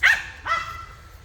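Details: Pet dog barking at monkeys jumping around nearby outdoors: two sharp, harmonic barks about half a second apart, the second softer and trailing off, over a low background hum.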